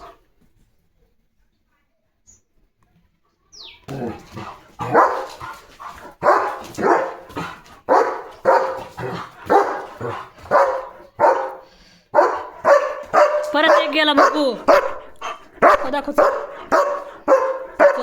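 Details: German Shepherd named Leo driving other dogs away from the gate of his home; after a quiet start, a long run of rapid, loud barks, some hoarse and growly, continues almost without pause.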